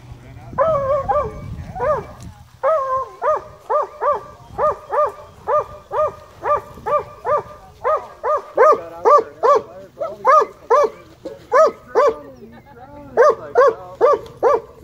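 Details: Black and tan coonhound, a rescue dog at a county dog park, barking high-pitched at fish before diving after them. Rapid, uneven series of sharp, tonal barks, about two per second, with a brief voice near the start.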